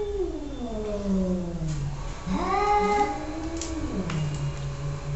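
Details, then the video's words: Domestic cat meowing indoors in a small room: long drawn-out meows with sliding harmonic tones, a falling wail followed by a rising and falling cry near the middle, over low room hum. "Annoying Cats sounds"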